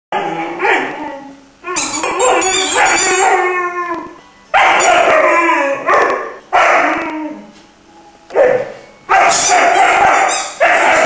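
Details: Iarla, a three-month-old Irish Wolfhound puppy, sings indoors in a string of loud, wavering howl-like cries, each lasting about a second with short pauses between, some rising and falling in pitch.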